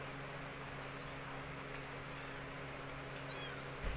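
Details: Orphan kittens adopted and nursed by a mother cat that had lost her own litter; two faint, thin, high mews, each a short rising-then-falling arc, come late in the clip over a steady electrical hum and soft background noise.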